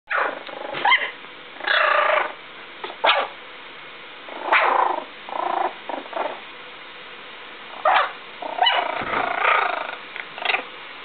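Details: Almost one-month-old Yorkshire Terrier puppies give short, high whines and squeaky yelps in irregular bursts.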